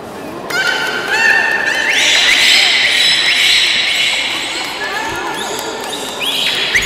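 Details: Captive belugas in a public training session at Port of Nagoya Public Aquarium, 18 July 2016, 13:30: a dense run of rising squeals and bright tonal cries overlapping for several seconds over audience voices in an echoing hall.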